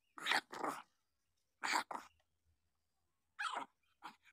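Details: Newborn puppies, seven days old, giving short rough cries in quick pairs, then single squeaks, separated by brief silences in a quiet indoor setting.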